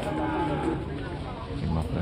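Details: Simmental cross cattle at the Pasar Legi Jatinom livestock market; a low, drawn-out moo with steady tonal harmonics over the first second, then fading into market murmur, voices and background music.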